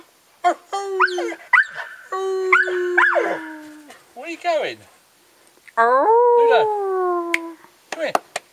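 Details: Ben, Ludo and Tina, pet dogs, in a howling session: uneven bursts of wavering howls and yelps, some rising then falling, with gaps between them and a person's voice occasionally heard.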